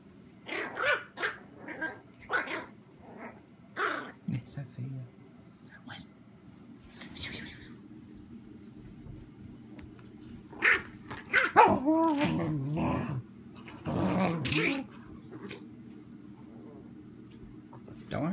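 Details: Indoor play between a puppy chihuahua named Royce and a mini German shorthaired pointer: short, sharp barks and growly yaps come in scattered bursts, mostly early on, with people talking and calling between and over them.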